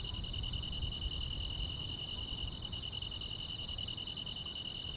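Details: Grass insects on a quiet summer night in the countryside: a steady high trill runs unbroken, while a sharper, higher chirp pulses about every three-quarters of a second over a soft low rumble.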